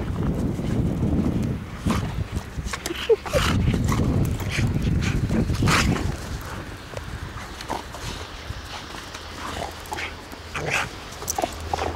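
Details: An Alabai and an American Staffordshire Terrier play together on a walk, rough play that looks menacing, 8 March 2010; low rumbling growl-like bursts in the first half, then quieter scuffles, thuds and a faint voice.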